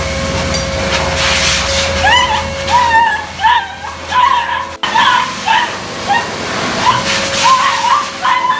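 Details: Gabru, a 95-day-old Beagle puppy, 'talks' during his first bath after three months: a series of short, rising, whimpering whines, several per second after a quiet opening, with a steady background hum and some noise.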